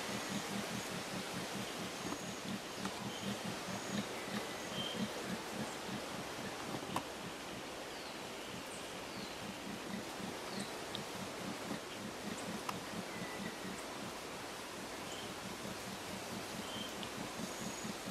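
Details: A red howler monkey (Alouatta seniculus) howls to defend its territory in riparian forest by the Pauto River, Trinidad, Casanare, Colombia, a deep throbbing distant roar with faint bird chirps overhead.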